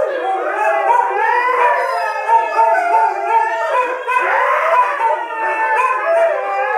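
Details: Siberian Husky joining other dogs in a group howl, layered wavering voices sliding up and down in pitch, swelling in the middle and again toward the end.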